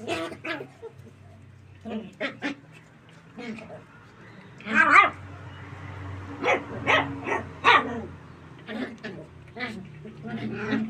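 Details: Playful puppies, golden retrievers, running and jumping in a tight area; short high yappy barks and yips scattered irregularly through the clip, with a low steady hum beneath.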